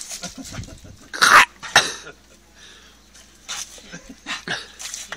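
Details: Female dog playing excitedly with a hose pipe gives two sharp, loud barks in close succession, followed by softer scattered yelps and rustling noise.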